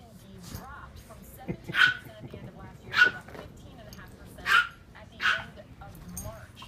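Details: A three-year-old Boston Terrier, unhappy with the clove and root beer smell of a freshly applied organic flea and tick treatment, gives four short, sharp, high yelps spaced roughly a second apart over quiet indoor background.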